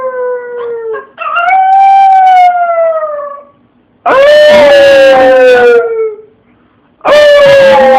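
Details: A pet dog gives long, mournful howls, caught on a phone, starting with a brief low note and then a sustained wavering one that slowly falls. A second strong howl follows, then a third begins just before the end.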